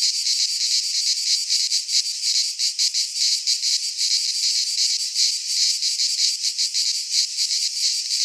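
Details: In a Greek pine forest at midsummer, cicadas sing a constant piercing buzz, rhythmically throbbing with slight uneven surges, no other animals or noises apparent.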